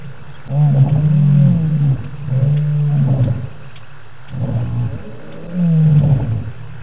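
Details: Lions roaring at night in the African bush on the Djuma live cam, 25 March 2018; deep, low moaning roars in drawn-out bouts with short pauses between, the calls overlapping as if from more than one lion.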